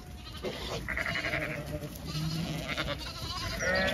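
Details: Zwartbles sheep flock on a regenerative farm in County Kilkenny, Ireland, moving to a field for cool late-afternoon grazing; a few wavering harmonic bleats rise from a noisy, rustling background of many animals.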